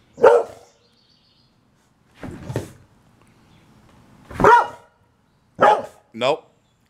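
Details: Boxer dog Liberty protesting for an early dinner, giving a series of short barks and yelps at irregular intervals, the last two close together and whiny; an owner speaks between them.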